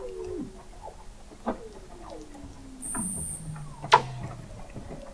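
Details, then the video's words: Weddell seals recorded in November 2017 by the McMurdo Oceanographic Observatory, 21 m below sea ice in McMurdo Sound, Antarctica: slow falling whistles sink into a low chugging tone, with a brief high buzz and a sharp click. "Song of the Antarctic Weddell Seal"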